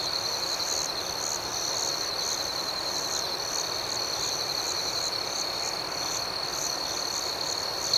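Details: Night ambience of crickets outdoors, an even, unbroken high-pitched trilling with soft rhythmic pulses above, steady in loudness throughout and free of other noises.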